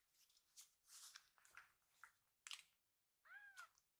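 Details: Rescued baby kitten Pochamaru tickled while rolling belly-up after feeding; mostly rustling and handling noise, then one clear arched meow near the end.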